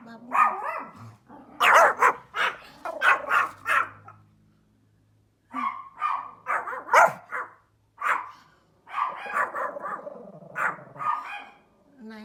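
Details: Small Pomeranian dog barking outdoors in a funny way: sharp, yappy barks in quick clusters, a pause of about a second and a half mid-way, then more irregular bursts of barking.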